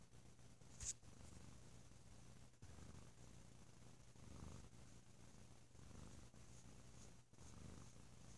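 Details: Deep, loud purring from Bo, a sleepy pet cat lazing indoors over a holiday weekend; low rumbling pulses swell and fade in steady breaths, with a brief click near the start.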